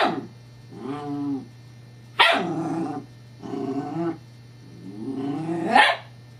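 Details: Female Scottish Terrier Evangeline at play with a teething pacifier toy, 7-12-11. Drawn-out, wavering growl-whines alternate with two sudden harsh barks; a constant low hum runs underneath.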